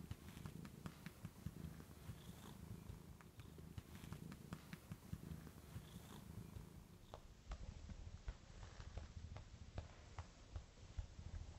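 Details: Joan, a pet cat, purring while resting on the arm of a couch indoors; a steady low rumble with rhythmic pulses, faint and close, with soft clicks and no other voices.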